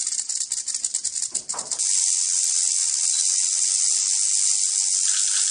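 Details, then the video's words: Rattlesnake rattling: a few separate dry clicks at first, then a steady, high, hissing buzz that holds without a break to the end. "Rattlesnake Rattle Sound"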